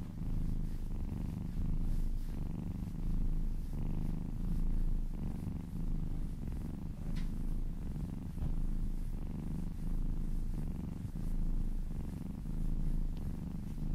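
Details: Kitten being massaged, purring close by; a sustained low rumble with regular breathing pulses across fourteen seconds, faint rustle and a small click in the middle.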